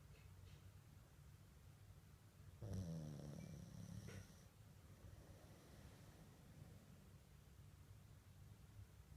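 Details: A sleeping Mame Shiba named Komugi snores indoors: one low, rough, rumbling breath lasting about a second and a half, surrounded by quiet, steady background hiss.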